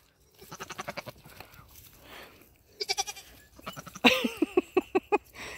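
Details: Nigerian Dwarf dairy goats on New Year's Eve 2020, during their first five minutes near a buck for breeding. Several tremulous bleats, each broken into rapid pulses. A loud, quavering bleat near the end with several quick pulses, and people's voices nearby.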